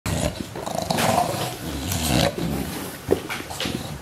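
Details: English Bulldogs, two young dogs aged about one year, recorded 23 December 2015; low, rough rumbling growls in irregular bursts, with noisy scuffling and sharper broadband snaps between them.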